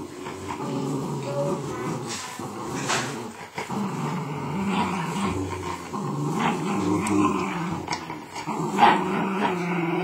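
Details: Patterdale terrier, a pet dog matched against a Border, growling in a low, rumbling, buzzy drone with wavering pitch, sustained for the whole stretch, with brief higher yips and scuffling noises over it.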